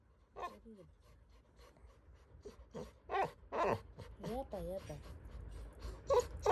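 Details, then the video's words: Little John, a Labrador Retriever puppy, scared and crying: soft wavering whimpers and little moans, some with a wobbling rise and fall, mixed with breathy sniffs in a quiet indoor space. "My Labrador puppy crying scary made me emotionally sad"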